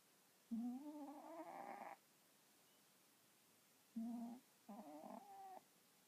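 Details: Sleeping house cat that snores instead of purring, perhaps from a stuffy nose: a long nasal, buzzy drone, then after a pause two shorter wheezy snores in quick succession.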